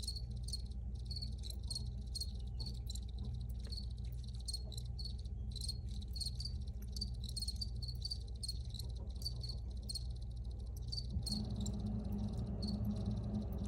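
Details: Crickets keep up quick, high-pitched chirps in irregular bursts, with a low hum beneath; near the end a soft broadband hiss rises in the background. Recorded crickets shared for reuse and relaxation.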